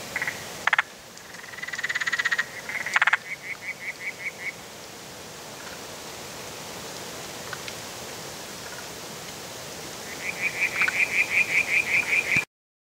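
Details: Calling spotted grass frog (Limnodynastes tasmaniensis): short trains of quick, evenly spaced clucking pulses, one early and a longer, louder series near the end, with sharp clicks and faint rustling between.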